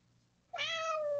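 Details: Domestic cat calling at breakfast time, apparently hungry: a single drawn-out meow that starts abruptly and holds a steady, slightly falling tone to the end, rich in overtones, in a quiet indoor room with a low hum.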